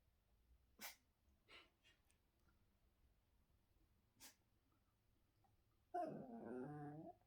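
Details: Chihuahua giving a slight threatening growl while its owner eats indoors; after soft clicks and a few taps, a wavering, harmonic, nasal grumble rises and falls for about a second, with a woman speaking Turkish nearby.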